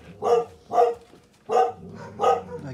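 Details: Akela, a Canadian wolf, utters four short, harmonic, bark-like vocal bursts, roughly one every half second. Each is rough and mid-pitched, and a man's voice speaks to him around the calls.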